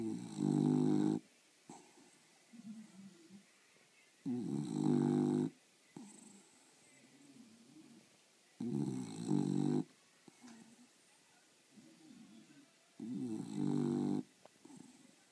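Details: One of two sleepy English Bulldogs snores loudly, with deep rasping bursts about every four seconds.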